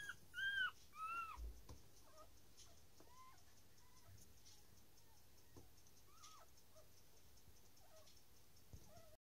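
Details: Newborn Dachshund puppies squeal thin and high as they are being born, loudest at first, then softer scattered whimpers.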